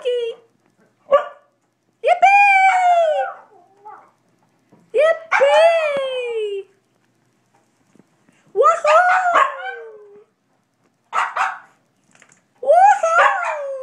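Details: Brussels Griffon dog singing along with its owner, growing excited: drawn-out howls with falling pitch and strong harmonics, about two seconds each, separated by pauses and short yips, with a person's voice encouraging it.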